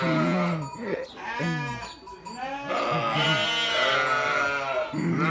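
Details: Sheep bleating in a chorus of several overlapping, wavering harmonic cries, some low and some higher, with brief gaps between calls.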